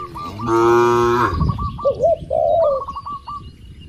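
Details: Tame cattle among dozens kept in a spacious farm pen; one long, deep, harmonic-rich moo lasting under a second, followed by short repeated chirping calls of small birds and soft background noise.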